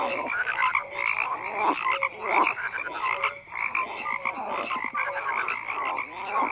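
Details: A chorus of many frogs croaking together, layered rasping pulses mixed with short clear notes that recur steadily, continuous and unbroken throughout.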